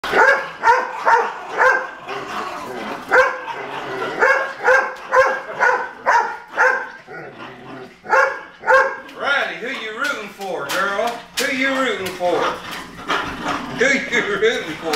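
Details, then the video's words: Jack Russell Terriers fighting over a squirrel toy, giving rapid sharp barks and yips roughly twice a second, later breaking into whiny growling squeals, with a man talking and cheering them on. "Hurl-A-Squirrel VS Jack Russels"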